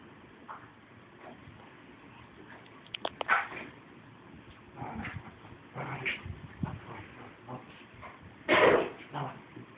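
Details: Two pet Lhasa Apsos, Mitzi and Piper Prudence, play together indoors, recorded on an Android phone. Sharp yips and gruff play-barks come in scattered bursts, the loudest near the end, over soft scuffling.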